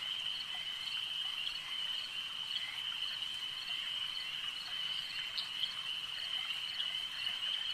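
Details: Lakeside frogs produce a continuous bright trilling chorus at a steady pitch, with a few sharper chirps and clicks popping out over the unbroken background buzz.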